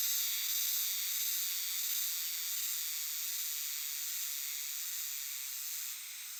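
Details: Euterpnosia chibensis cicadas singing in a great chorus in dark shrine and temple woodland: steady shimmering high-pitched buzz with slow rhythmic waves of loudness, easing slightly near the end.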